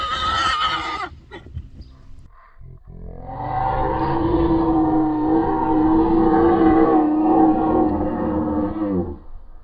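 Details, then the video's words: Friesian horse among young horses harassing a returning herd member while other horses stay quiet with foals; a long, harmonic, wavering whinny lasting about six seconds after a brief rough squeal and noisy scuffling. "Friesian Horses"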